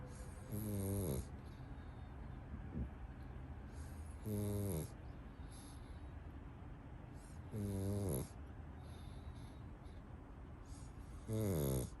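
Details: Pug asleep clutching a toy duck, snoring in loud, low, rattling bursts about every three and a half seconds, each lasting under a second, with quiet breathing between.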